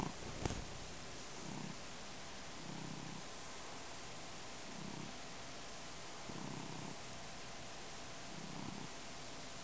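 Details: Neo, a pet cat, kneads a blanket and drools while purring; deep, low purring comes in rounded bursts every second or so, with soft gaps between breaths and a single sharp click near the start.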